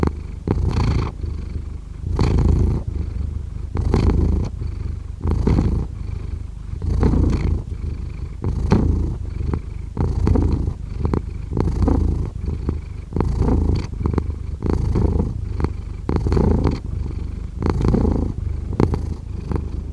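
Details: Long stretch of a cat's purr, heavy low-pitched rumbling pulsing in regular breath cycles about once every one and a half seconds, steady and unbroken for the whole twenty seconds.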